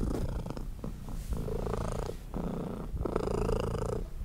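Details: Mother cat purring loudly while nursing her tiny baby kittens as she tries to rest; a low, rumbling, continuous purr rising and falling with each breath, pausing briefly between breaths.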